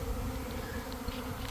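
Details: Brief stretch inside a developing honey bee swarm beside a garden hive in early afternoon; a low rumbling hum with steady buzzing bands, heavy low-end wind-like noise.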